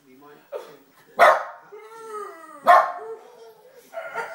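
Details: A dog howls in long, drawn-out tones that waver slightly in pitch, broken by two loud, harsh bursts.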